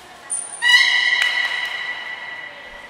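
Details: Beluga during a training session with Gray and Mirai at Port of Nagoya Public Aquarium, 22 August 2022: a brief high whistle, then a steady, harmonic-rich tone held for about two seconds before fading, in a reverberant indoor space.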